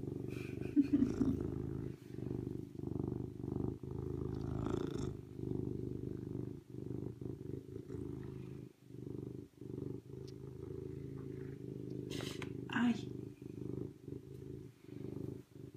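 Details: Low, throbbing serval purr with regular breathing breaks across the whole stretch, and a brief higher-pitched sound near the end.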